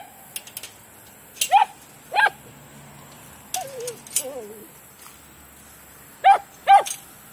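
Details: Dogs (Taro, Mouse, Honey, Foster and D) at play in a big yard: scattered sharp barks in pairs, plus a wavering, falling whine-like cry in the middle, with quiet gaps between.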